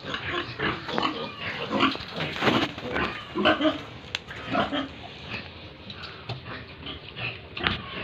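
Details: Pigs and piglets at a pig farm in Tripura, India: a steady run of short, rough grunts and squeals, close together at roughly one a second, with busy farm background noise throughout.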